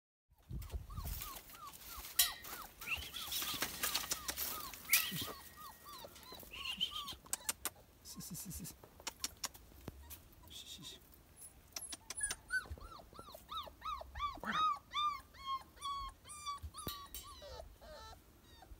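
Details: A one-month-old German Shepherd puppy in San Dionisio Ocotepec, Oaxaca, in 2022 whimpers in a steady run of high, arching whines.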